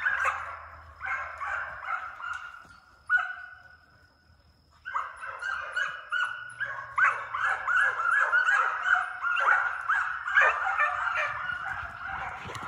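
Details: Hound pups, already running deer outside, being conditioned in a fox pen chasing coyotes in summer for speed and endurance; a pack chorus of overlapping yelping bays and barks, near continuous, with a short lull midway.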